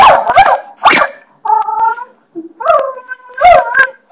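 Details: A pet dog barking at a bathroom doorstopper: sharp barks separated by higher, drawn-out whining yelps, with short gaps of silence between bursts.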